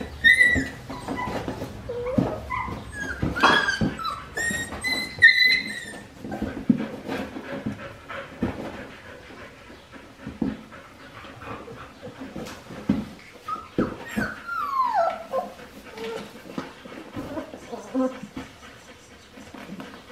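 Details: Winnie's Australian Shepherd puppies, aged four weeks five days, indoors on a baby cam, whimper and whine repeatedly. Many high, thin cries come in quick bursts early on, then a long descending whine later, with soft shuffling.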